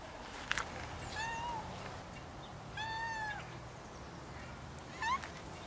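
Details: Rags, a cat left alone in the garden while Snow White goes for a walk, crying with three drawn-out meows, the first two long and arching, the last short and rising, over a faint outdoor hiss.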